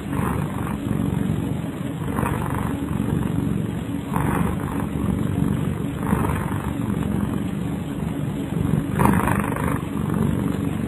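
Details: Kyara the cat snoring while asleep: a low, coarse rumble with gentle hissy breath surges about every two seconds, the last one a little louder.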